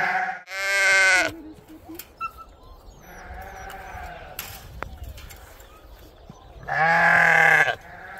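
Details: Sheep on a homestead farm being gathered to move out with the rest of the flock as snow melts; two loud, harsh, wavering bleats about six seconds apart, with fainter calls and handling noise between.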